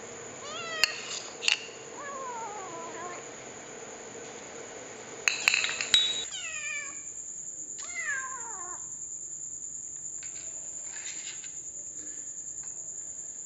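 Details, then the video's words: Kitten talking with its mouth full while eating indoors: a run of short descending mews and chirps, several clinks early on, a steady high electronic whine throughout. "Kitten School: Talking With Your Mouth Full"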